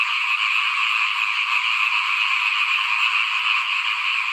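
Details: Frogs croaking in front of a house during rice sowing in 2021, heard as a thick, constant, high-pitched rattling chorus of many callers blending together without a break.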